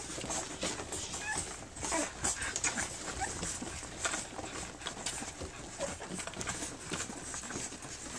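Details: Flute's pups at three weeks old, nursing and playing indoors: thin whimpering squeaks come in scattered bursts, with a broad rustling hiss underneath.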